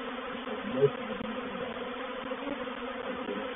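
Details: A reproductive swarm of honey bees settling into a bait hive at Painted Peacock Manor, 04/07/21, makes a continuous, even buzz of countless wings with a faint low thump near the start.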